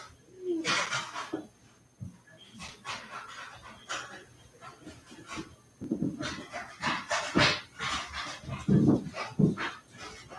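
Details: Cavalier King Charles Spaniel puppies playing indoors in a home puppy pen, with breathy, snuffling panting bursts in uneven runs and a brief low voice in the room.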